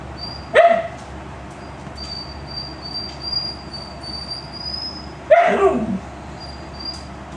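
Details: A hyper male chinchilla, following the camera and trying to mouth it, gives two short, harsh, bark-like yelps that slide downward, several seconds apart, over a thin intermittent high whine.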